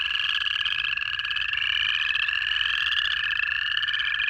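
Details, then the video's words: In January in Georgia, many native frogs call at once. A steady low trill holds beneath a higher, shimmering mass of overlapping calls that rises and dips gently without pause. "Georgia in January: 1 Hour of Native Frog Calls to Fall Asleep To"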